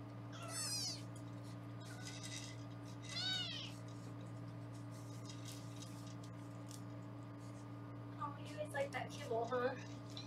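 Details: Indoor foster kittens in Los Angeles during weighing make a few thin, high meows early on, then a cluster of shorter mews near the end, all over a constant electrical hum and quiet speech.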